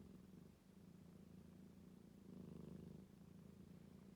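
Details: Rescued calico cat resting indoors and purring like snoring. Very soft, low rumbling purr with a slight swell midway, steady and uninterrupted.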